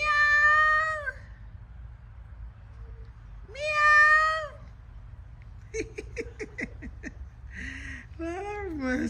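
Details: Cat in Jamaica on a sunny day with two clear, long, rising-then-falling meows about three seconds apart. Shorter choppy sounds follow, ending in a higher, sliding cry over a low background hum.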